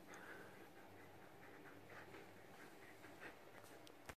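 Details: A jealous, grumpy female Belgian Shepherd Groenendael growls low and steadily at a Husky that won't share the couch with her, while a person talks gently.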